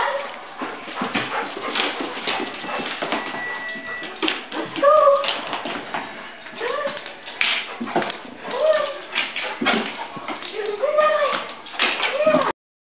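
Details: An excited Vizsla dog about to go out. It gives repeated short, high whimpers and yips that rise and fall, scattered among continuous human talking.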